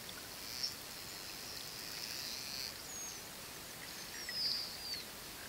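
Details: An inquisitive, relaxed pod of short-finned pilot whales in the Mediterranean, filmed up close underwater. High, thin whistles stretch and sweep, some rising and some falling, over a steady hiss of water noise.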